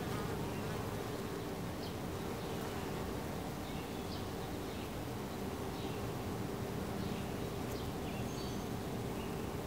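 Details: Honey bees at their hive entrance, a dense continuous humming drone from many insects, with occasional short rising whines as single bees fly past.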